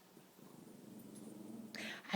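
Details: Rat terrier, a female, sneezing on command indoors during a training session: a short breathy burst near the end after a low, steady background hum, with a person quietly giving praise and encouragement just before.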